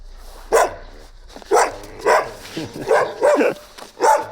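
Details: A young Gampr, a large stray dog found on a street in Abovyan, Armenia, barks in five loud, separate bursts spaced roughly half a second to a second apart, with low background noise.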